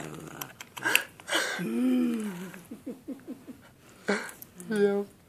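A small Shih Tzu growls in short, rumbling bursts and drawn-out grumbles while a person talks.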